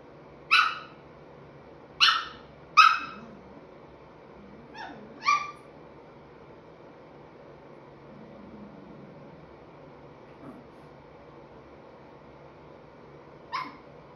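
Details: Young Chihuahua, five and three-quarter months old, "talking" with scattered short yips: three close together, then two softer ones, then a long pause before one last yip; faint low hum behind.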